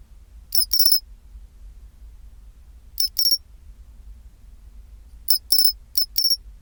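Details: {'caption': 'Pine cricket (matsumushi) at 24°C chirping its chin-chirorin song: bright, high metallic bursts of two or three quick ringing notes, groups spaced about two to three seconds apart over a low quiet background hum.'}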